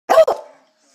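A beagle gives a quick double bark, two sharp mid-pitched yelps in under half a second.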